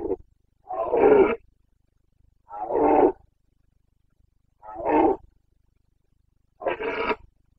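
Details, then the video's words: Rutting Carpathian stag, a red deer of the Bucovina mountains, roaring in the 2022 breeding season: four rough, throaty bellows about two seconds apart, each under a second, with quiet between them. "Boncănit / Carpathian stag Breeding season"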